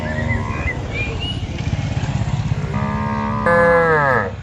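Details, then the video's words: Cattle driven into a farm pen, a steady throbbing engine-like rumble running throughout, then a rich, rising moo swelling loud over the final two seconds. "Moo Bunyi Suara Sapi Gembala"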